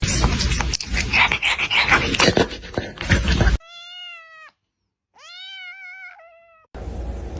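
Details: Domestic cat in a compilation of funny talking cats, giving two long clear meows with a stacked harmonic tone, the second bending slightly downward, after a stretch of loud rustling noise; a person speaks afterwards.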